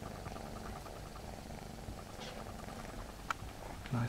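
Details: Friendly spotted male Egyptian Mau kitten from a litter born 4 November 2015, held indoors, giving a continuous low pulsing purr, with a few handling clicks and a man's voice starting at the very end.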